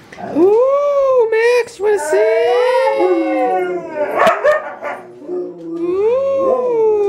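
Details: Several huskies kept as pets at home howl together on cue, overlapping wavering tones that rise and fall, bending up at the start then dipping, with a sharp yip midway and a person speaking softly.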